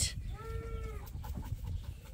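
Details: Sheep being released to pasture on a farm one morning while two ewes fight nearby; a single short, wavering bleat lasting about half a second, over low rumbling wind noise.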